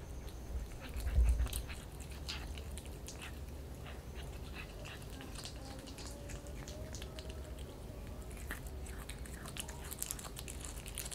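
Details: A kitten eating raw chicken, giving soft wet clicks and crunchy bites scattered irregularly, with a louder knock near the start, indoors in a quiet room.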